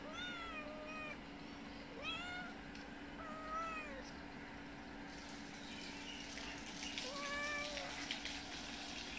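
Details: Mother cat with a little kitten, staying at a nearby house and visiting twice a day, meowing to ask for food outdoors; four drawn-out, bending meows in the first half, then a fainter one near the end over a steady hum and hiss.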